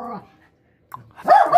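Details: Smallest female dog in a ferocity training session: a faint low bark, a pause, then a loud harsh bark closing the clip.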